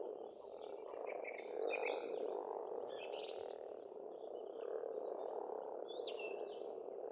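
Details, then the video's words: Frogs calling at a pond in Estonia in spring: a dense, unbroken croaking chorus forms a steady rumbling bed, while songbirds add bright, whistled phrases overhead. "Расслабляющее пение птиц и лягушек, весна, природа."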